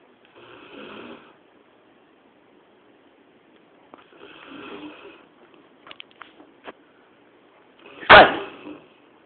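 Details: A Labrador Retriever sleeping indoors at 2 a.m. snores in slow, raspy breaths, ending with a sharp snort.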